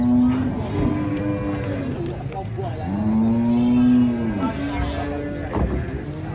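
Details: An enraged giant cow resists loading beneath a reputedly haunted tree, bellowing in long, steady moos. A short low call comes first, then a sustained lowing that bends down at its end. People talk faintly nearby.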